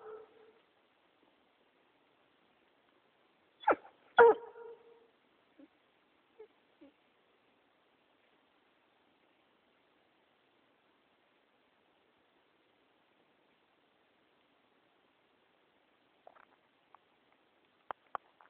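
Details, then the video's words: A pet dog, possibly getting cold feet, gives a quick double bark followed by a few soft snorts, then long silence broken only by faint clicks and brief faint sounds near the end. "Arbor Barking"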